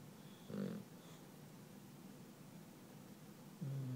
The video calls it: Sumo the English Bulldog Snoring